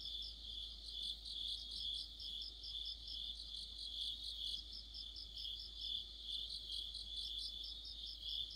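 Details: An autumn insect orchestra of crickets and companions by a streetlamp: continuous shrill high-pitched ringing layered with quick rhythmic chirp bursts, several callers overlapping, the loudness gently swelling and fading.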